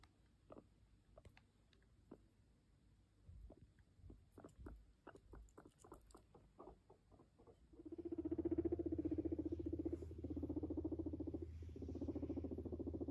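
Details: A male guinea pig coming up to his owner gives a low, vibrating purr after a run of soft pattering clicks, and also popcorns.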